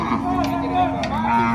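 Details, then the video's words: Short bovine low from a loose bull at a cattle fair, a level droning tone with a slight rise near the end, over music and applause. "boi valente solto na feira do gado"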